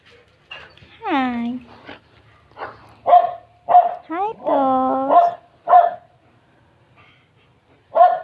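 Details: Dobermann guard dog on watch, protecting its owner; sharp single barks mixed with two drawn-out, falling howling whines, in quiet surroundings with a voice nearby.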